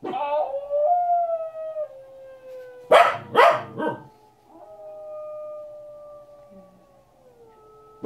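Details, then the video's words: A Corgi joins in with howling wolves on a TV documentary. Sustained, gliding howls slowly fall in pitch, interrupted midway by three loud, harsh bursts, then one long howl drifting downward. "Corgi howls along with wolves on documentary"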